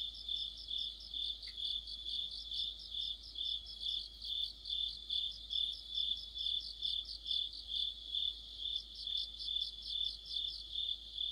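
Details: Deep-autumn cricket chorus with other insects: a constant thin ringing tone overlaid by regular beating chirps, a couple of faint clicks, steady throughout.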